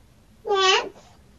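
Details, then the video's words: One short, bright meow from a domestic cat 'talking' with a person, rich in overtones and lasting under half a second, in a quiet room. "Cats are talking!!"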